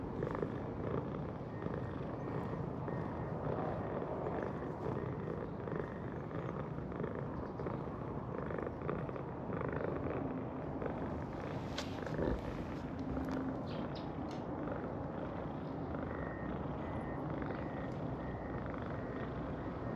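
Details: Cream-coloured and orange tabby stray cats, a close pair, out together in a park in warm spring weather; a steady, low rumbling purr runs throughout, over soft outdoor background noise.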